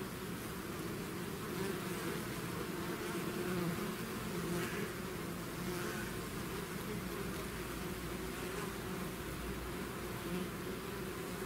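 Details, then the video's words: Many bees from a swarm leaving its hive, a thick steady drone of overlapping wingbeats with slight swells in loudness, no other sounds. "bees therapy swarm natural buzzing sound"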